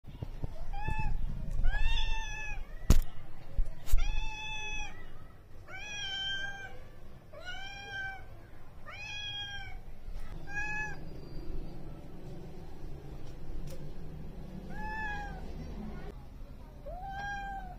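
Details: Adopted female street cat on her first day in a new home, exploring and settling in, giving soft, short meows about once a second, some bending downward, over a steady low indoor rumble.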